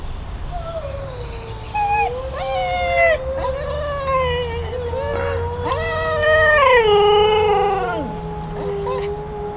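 A Siberian Husky gives long, wavering, howl-like calls that slide up and down in pitch.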